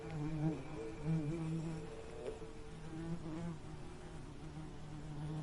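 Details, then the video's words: A bee drones close by, its deep buzzing hum wobbling in pitch and briefly swelling louder several times within a few seconds. "Soothing Bee Buzzing Sound"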